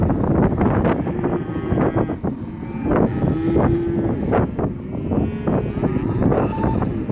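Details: Herd of 67 black Angus male calves of 180–190 kg, many calling at once; short and drawn-out moos overlap continuously, punctuated by sharp knocking and rattling sounds throughout.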